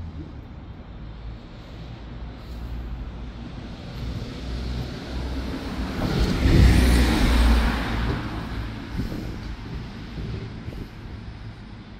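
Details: Road traffic swells as a heavy vehicle passes, then fades, with no animal voice heard.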